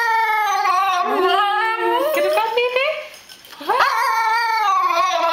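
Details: Tibetan Terrier, a female indoors, asking for food in her food song: long wavering whines and howls with rich harmonics, sliding up and down, a brief dip near three seconds, then a rising wail.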